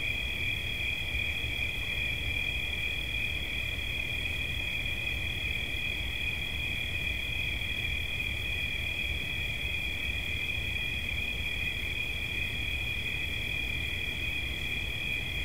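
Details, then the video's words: Continuous cricket trilling offered as relaxing sound, high-pitched and even, holding two close tones without pause, with faint low background rumble beneath. "Świerszcz. Dźwięki relaksacyjne"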